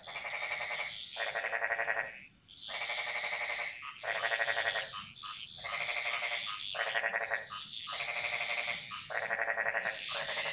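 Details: Jungle frogs in Bali: loud buzzy, rattling croaks about a second long, repeated roughly every one to one and a half seconds, over a background of high chirping from other frogs.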